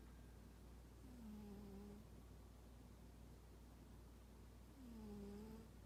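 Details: Toraji the unsociable cat sleeps and snores a gentle 'pu-pu': two soft, slightly falling whistle-like breaths about three and a half seconds apart over a steady low background drone.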